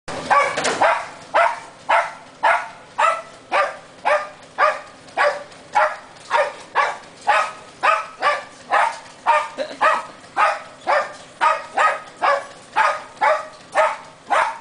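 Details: Small pet dog acting as a little security guard, barking steadily: sharp, bright barks repeated nearly twice per second, about twenty-eight in a row with little pause, indoors-sounding and without other noises.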